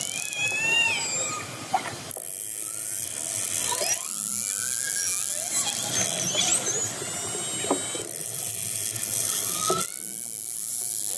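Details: Orcas approaching a fishing boat, heard underwater: rising and falling squealing calls with stacked harmonics and thin high whistles sounding through constant hiss, broken by a few sharp clicks.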